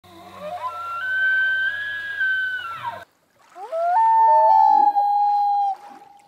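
An elk bugle rises into a long, high, whistled note with a low rumble beneath, then drops. After a brief pause, a second long, sliding whistle follows.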